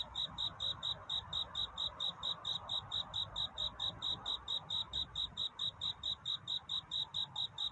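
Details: A cricket calling for a mate on a dawn-hour night, its piercing chirps ticking out in a regular rhythm, several each second, loud and crisp against a quiet, faintly hissing backdrop.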